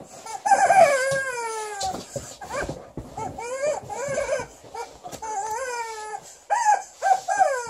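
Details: Liza, a female Alaskan Malamute, angrily sounding off at her new chicken toy indoors: a run of drawn-out, sliding, arched woo-woo calls, rising then falling, in bursts with short pauses and a faint high squeak in the background.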